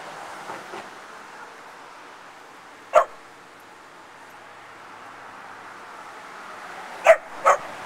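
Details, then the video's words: A puppy and a foster pup barking while playing together: faint soft yips near the start, a single sharp bark at three seconds, then a quick double bark near the end, with quiet room noise between. "Dogs Barking and Playing"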